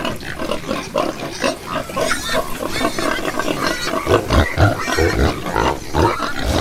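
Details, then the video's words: A crowd of pigs on a farm giving rapid, irregular grunts, roughly four per second, with deep low grunts clustering toward the end and occasional squeals above. "listen to the sound Pig - pigs - pig sound"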